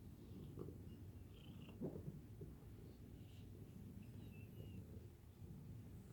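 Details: A cat named Tommy Lee Jones purring, a steady low rumble that continues without a break, with faint soft rustles and a few brief higher clicks over it.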